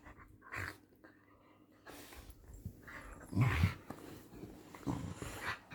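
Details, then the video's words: Low throaty dog growls during night-time play, a few swelling rumbles separated by pauses, in a small indoor room. "dog sounds"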